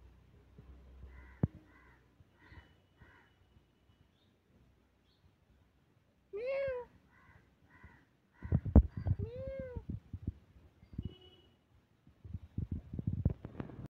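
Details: A tabby cat, described as wild, gives two drawn-out, arching meows a few seconds apart. Short, evenly spaced crow caws come before and between them, with rustling and knocking noises toward the end.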